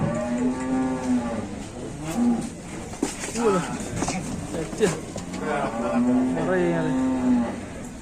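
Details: Enraged cow from an Indonesian livestock pen gives repeated low, nasal moos, one at the start and another near the end, with short rough grunts and clatter between them.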